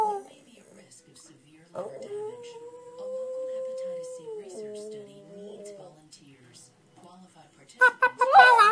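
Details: A female Boston Terrier howls for the first time, a long, steady, tuneful howl that holds its pitch, then dips and fades.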